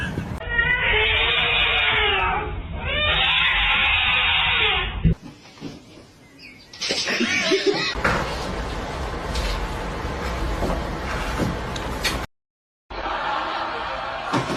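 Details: Domestic cat in a cat fight: a long, wavering, harmonic yowl lasting about four and a half seconds, then a quiet gap, scuffling and broad rustling noise, with faint music in the background.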